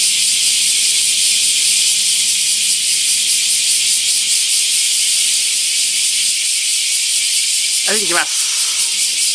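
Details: A loud summer-morning chorus of bear cicadas (kumazemi) in a huge camphor tree at Daitokuji Park, Nagasaki, Japan, 2019: a dense, pulsing "shin-shin" high buzz that never lets up, almost deafening.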